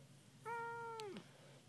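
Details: Pet kitten indoors, described as talkative, meowing in a conversation with its owner: one clear, steady, tonal meow lasting about three quarters of a second, ending in a short downward slide, followed by soft human speech.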